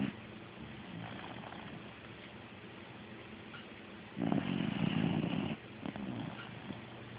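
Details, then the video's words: A dog asleep and snoring, phone recording: soft low breathing at first, then one loud rasping snore lasting over a second, followed by a short snort and quieter breaths. "Dog snoring"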